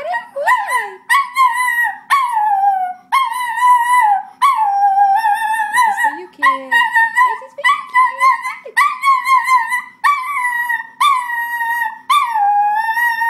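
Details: Sophie the schnauzer sings in a steady series of wavering howled notes, each about a second long, repeated over a dozen times with short breaks, some notes bending upward or breaking into yips.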